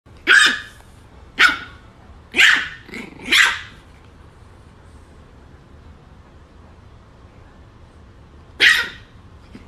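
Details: French Bulldog barking as it meets its father; five sharp, loud barks in quick succession over the first four seconds, a pause of near silence, then one more bark near the end.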